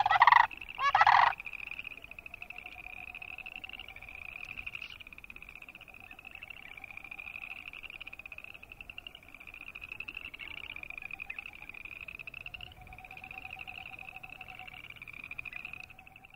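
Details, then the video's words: Chorus of boreal chorus frogs giving continuous rapid, pulsed, creaking trills, with fainter lower pulsed notes. Two loud harsh rattling calls from another bird open the recording. "Boreal Chorus Frog sound"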